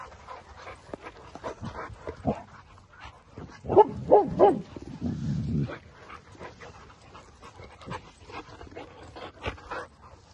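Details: Boerboel, a South African Mastiff kept in Egypt, one of the pair Enzo and Diva, with Diva playing with him: a quick run of short, harmonic yelping whimpers near the middle, then a low rumbling growl, among household noise.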